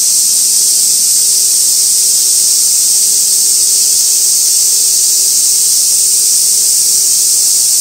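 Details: Cicadas recorded on Gaikotsu-yama, Japan, on 2 August 2024 beside an old sawtooth oak swarming with white-spotted flower chafers; a steady, unbroken high hiss-like drone fills the air with no pauses throughout.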